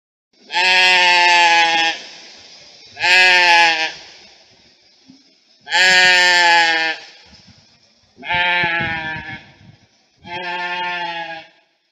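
A goat bleats five times, loud nasal calls each lasting one to one and a half seconds.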